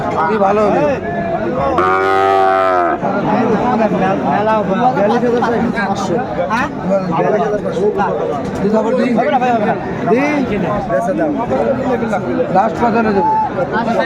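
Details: Sahiwal bull calf at a cattle market in Chattogram, Bangladesh, 14 January 2025: one loud, full-bodied moo of about a second near the start, then long stretches of men bargaining over prices amid market chatter.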